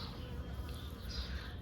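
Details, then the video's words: Garden bees hovering over a big bunch of white blossoms in late winter give a continuous low buzzing drone throughout, slightly uneven in loudness, with faint airy noise higher up. "Regardez, regardez le bruit des abeilles."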